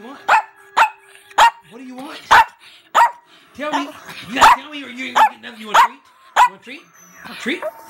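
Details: Female Chihuahua barking back insistently, about ten sharp high yaps at irregular intervals of roughly half a second to a second, mixed with short whiny grumbles, while a woman speaks in the background.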